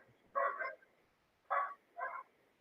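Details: Domestic dog barking inside a house during a live stream, reacting to something going past outside; three short, sharp barks, the first a quick double burst, then two more about half a second apart after a pause.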